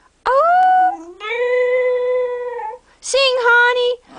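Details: Cocker Spaniel singing on its owner's prompt indoors, June 2008: a rising then long steady howl, a second held note of about a second and a half, then a short spoken 'sing' prompt overlapping a renewed howl.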